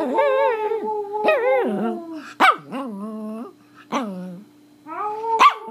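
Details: Loud, close Pomeranian singing in India, mixing wavering howls with sharp yips and sliding notes that rise then drop, several phrases packed together, a low constant hum in the background.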